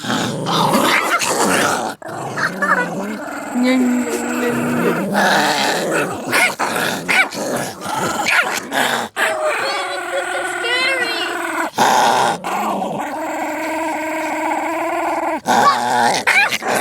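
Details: Pet dogs fighting, sustained guttural growling and snarling with occasional whimpering yelps, a human voice heard briefly in the background.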